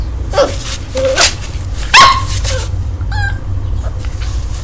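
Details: Two-month-old puppy named Urano in São Paulo, Brazil, seeing itself in a mirror for the first time: short high yips and whimpers, one sharper bark near the middle, over a steady low rumble of traffic.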